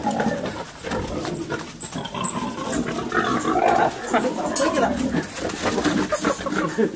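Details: A wild boar (Sus scrofa) attempting to mate gives rough, throaty grunts and snorts, with human voices faintly in the background.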